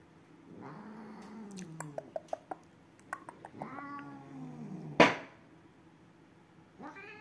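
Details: Two unfriendly cats caterwauling: low, drawn-out wavering yowls, one around a second and one after three seconds, with scattered sharp clicks between them, a loud bang near five seconds, and a higher, brief cry at the end.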